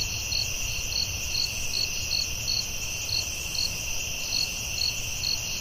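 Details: Crickets at night in a forest: a steady high shimmering trill layered with brighter chirps that pulse roughly twice a second, over a soft low rumble.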